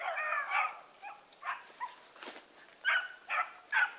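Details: Bluetick Coonhounds running outdoors alongside a dog named Sassy: short harmonic bawls and yelps in uneven bursts, several voices overlapping, with a steady high tone in the background.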